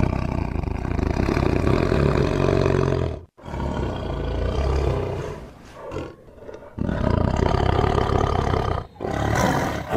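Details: Tiger roaring: deep, rumbling, heavy roars in long bursts, broken by brief silences around the third, sixth and ninth seconds, each burst swelling and fading with a rough, growling texture.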